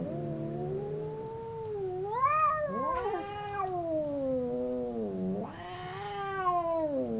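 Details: Two domestic cats fighting: sinuous howling that swoops up and down, voices overlapping in a warbling duet, with a brief harsh spit midway and a louder rising squall near the end.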